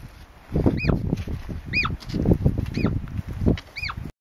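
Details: Wild hoary marmots whistling to one another as a danger warning along Mt Rainier's Wonderland Trail, August 2012. Four clear, piercing arched whistles come roughly once a second, each bending down at the end, with gusty wind and rustling beneath.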